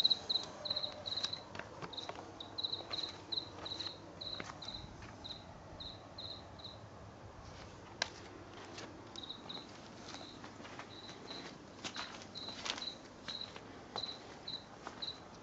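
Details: A house cricket that sang in a garden from late August through September 2022, recorded at night. Its high chirps come quieter and more irregular, with gaps, against scattered clicks and tapping noises.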